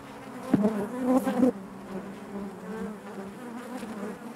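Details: Inside a honey bee hive, a loud close buzz swells for about a second near the start, then settles into the colony's even, droning hum.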